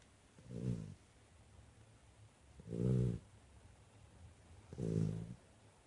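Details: Nestle, a chocolate Labrador Retriever, snoring while asleep: three low, rumbling, throaty snores about two seconds apart, each swelling and fading, with near silence between breaths in a quiet indoor setting.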